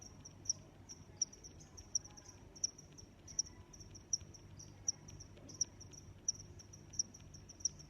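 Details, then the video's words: Chirping cricket giving clear high, bright pulses about every three-quarters of a second in an even rhythm, a faint steady trill and gentle low hum behind it. "Sounds of Crickets"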